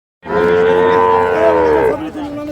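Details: Dairy cattle at Ambari livestock market in Dinajpur, Bangladesh, where cows and calves are sold: one long, steady, tonal moo lasting nearly two seconds, trailing off into quieter background.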